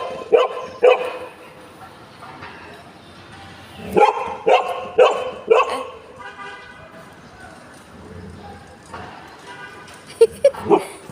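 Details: Pet Golden Retrievers José and Butter greeting a new friend. Scattered sharp barks come in twos and threes: a pair early, a run of four around the middle, and a final bark near the end. A person's voice is faintly heard.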